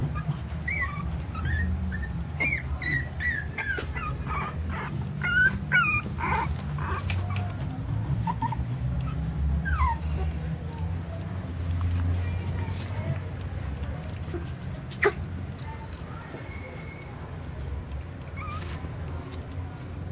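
Jack Russell Terrier puppies give short, high whimpers and yips over a steady low rumble.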